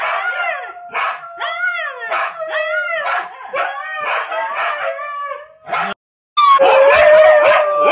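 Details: Three Siberian Huskies give a fast run of yappy barks and short arched howls, roughly two to three per second, then a silent break before a sustained, wavering howl.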